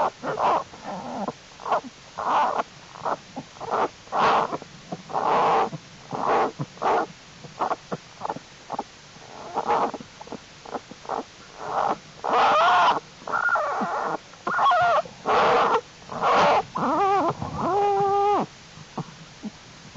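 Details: American black bear cubs, growing stronger and crawling about, in Jewel's winter den on January 31, 2012, amid unusually warm temperatures. Steady series of short, harsh squalling bursts, then clearer tonal wailing calls with stacked overtones near the end.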